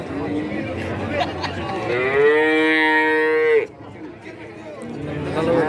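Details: Cattle lowing at the Kajen cattle market in Pekalongan, Central Java; a steady, sustained moo lasting nearly two seconds stands out over busy market chatter and other distant moos.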